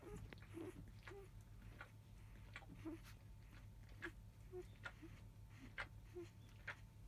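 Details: Five-day-old field-type Labrador Retriever puppies from the litter of biscuit, the 2017 JFA Grand Champion, recorded indoors just after 3 pm. Short, thin squeaks rise and fall, scattered among soft clicks and rustling over a steady low hum.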